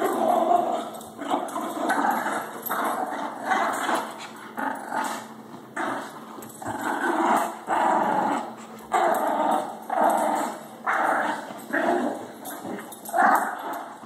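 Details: Shih tzu and Labrador dogs fighting over the same toy late at night indoors; rough rumbling growls in repeated bursts about every second, rising and falling in loudness throughout.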